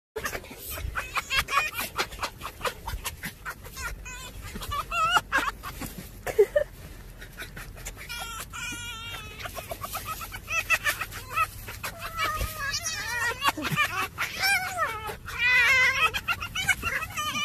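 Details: Fox making a laughing, human-like cackle: rapid bursts of high, wavering, chattering yelps tumbling over one another, growing denser and more excited toward the end.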